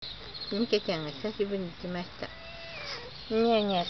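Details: Cat named Mike, back after a long absence, coaxing its departing caretaker not to leave: short harmonic meows in quick succession, then a longer drawn-out wavering meow near the end, over a quiet background.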